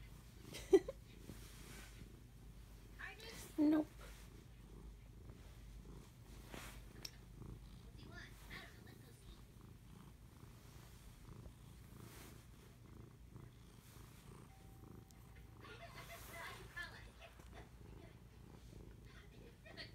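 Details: Female house cat purring while being petted indoors; she grabs a hand whenever the petting stops. A soft, steady low rumble continues throughout, broken by a few brief clicks and faint voice sounds.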